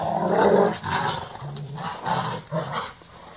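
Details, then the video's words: Rottweilers Merlin and Sonja at play in a chase game; a deep, rumbling growl broken into several pulses, each swelling and easing over about half a second. "Rottweiler Play"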